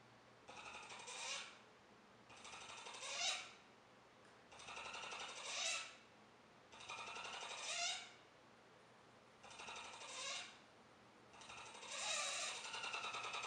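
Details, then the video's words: Joejoe the capybara calling indoors: six rattling, purring bursts about two seconds apart, each swelling into a brief high nasal whine at its end; no other sounds intrude. "Calls of the capybara"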